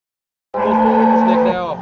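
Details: Cross-bred cow in Pakistan, a Jersey or Friesian mix with Cholistani or Sahiwal blood, offered for sale in February 2025, gives one loud, steady, low moo lasting over a second that sags slightly in pitch at the end, with no other sounds.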